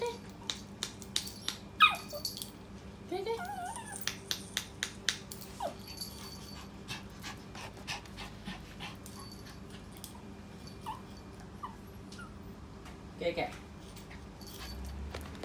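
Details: Poodle in a small room, thrilled to be going out. It lets out a burst of sharp yips, a couple of rising squeaks and a brief whine. After that it falls quieter, with a final squeal near the end and faint room noise.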